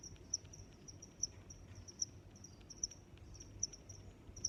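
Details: Cricket chirps, sharp high pulses recurring just under once per second, each with softer trilling notes in between, against a low rumbling background.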